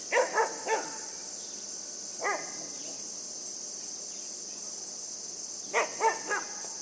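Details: Playful puppy Yufie yapping at a buck: a quick triple bark, a single bark two seconds later, then another fast cluster of three near the end; steady background hiss throughout.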